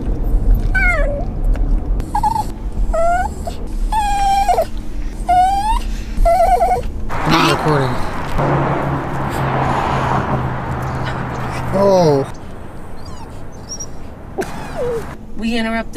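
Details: Pet dog crying: drawn-out, falling whines in short bursts over several seconds, then a stretch of noisy household sound and a few more high whimpers near the end, with human voices in the background.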